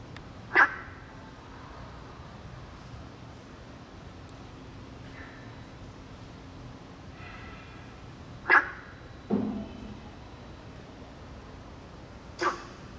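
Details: In May–June at a small school-campus pond in Taiwan, a Günther's frog (Sylvirana guentheri) gives short, gruff, bark-like calls spaced several seconds apart.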